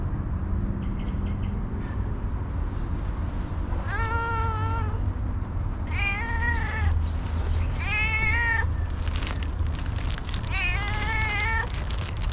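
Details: Hungry female street cat, happy for attention and food, meowing four times: long harmonic-rich cries, each about a second, bending slightly in pitch, spaced roughly two seconds apart over steady low traffic-like rumble and faint bird chirps.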